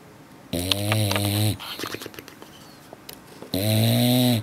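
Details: An adult male English Bulldog lip-snores in long, buzzy, low breaths about every three seconds while sleeping after a long day of play at the beach.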